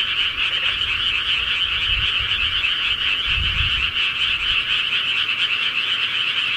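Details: Countryside frogs at night in a thick continuous chorus, countless croaks blending into a steady high trill, with soft low rumbles around the second and third-and-a-half seconds, probably wind or handling.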